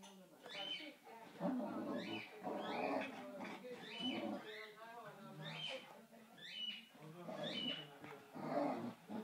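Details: Kofi, a Boxer, and Kiko, a Basenji, romping together: repeated harsh growl bursts roughly once a second, mixed with high squealing whines and yips throughout.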